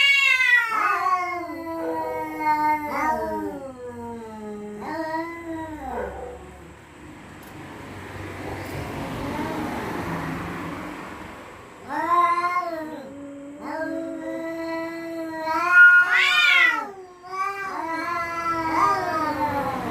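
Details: Resident cats at night warning each other off: a run of short repeated yowls that drop in pitch, a quieter stretch with hissy rustling, then more rapid, rising and falling cries.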